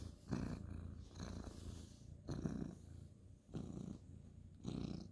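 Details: Orange tabby cat purring while petted at bedtime indoors; deep rumbling purr in distinct inhale and exhale bursts about once a second, close to the microphone.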